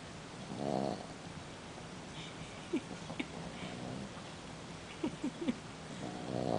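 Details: A six-month-old Boston Terrier snores in its sleep, giving two short raspy snores at the start and end, with faint small squeaks and clicks scattered between them over a low hum.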